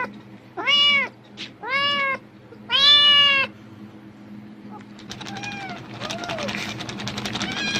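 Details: Cat reacting excitedly to the rustle of plastic bags as if food were coming, giving three strong arched meows in quick succession, then fainter meows amid crinkling, rustling noise and a constant low hum.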